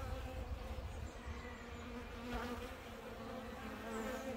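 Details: Honeybees in the UK clustering around a feeding bottle of sugar water, making a soft, low, steady hum with faint overtones that rises and falls slightly as bees move about.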